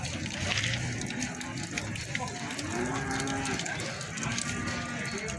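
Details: Feeder cattle at Plaosan market in Magetan, Indonesia: a faint, drawn-out low moo in the middle, largely buried under loud crowd chatter and clattering market noise.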